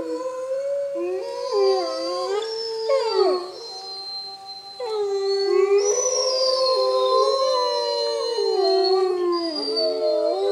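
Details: Wolf pack at Bays Mountain Park in a rainy chorus howl: several overlapping voices rise, fall and waver against each other, with short breaks and yipping bends.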